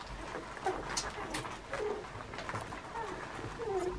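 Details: Puppies almost two weeks old give faint, thin whining squeaks, several short rising and falling whimpers scattered through a noisy background with soft rustling.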